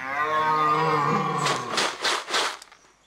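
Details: A white red deer stag in a wildlife reserve at Mugron, Landes, France, bellows during the October rut, a deep drawn-out call sinking in pitch, then rough breathy grunts; apparently displeased by its keeper's presence.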